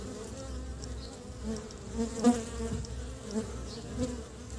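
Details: Honey bees bringing pollen back to build their nest in early spring; a steady low droning hum with a wavering pitch, swelling as individual bees pass close around the middle and near the end.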